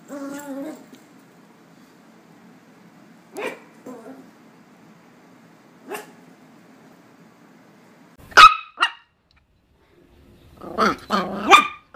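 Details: A Miniature Pinscher, coaxed into barking, gives sharp, high barks, spaced at first, then in a quick cluster at the end.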